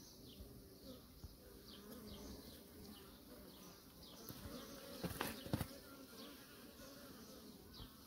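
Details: Humming of kept honey bees: a quiet, continuous low drone with a few sharp clicks near the middle and faint chirping overhead.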